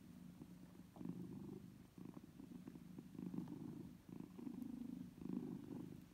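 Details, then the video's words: Mother cat feeding her kittens, which nurse from her: deep, pulsing purr in rhythmic waves about one second long, separated by brief quieter breaths, with faint soft clicks. "Hiç Süt İçen Bebek Kedi Sesi Duydunuz Mu"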